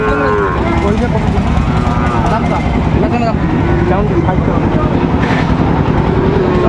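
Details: Cattle calls at the opening of Ambari market, Dinajpur, Bangladesh, on 26 September, where Sahiwal bull calves are sold: several long moos rise and fall and overlap one another, with steady crowd chatter and vehicle rumble throughout.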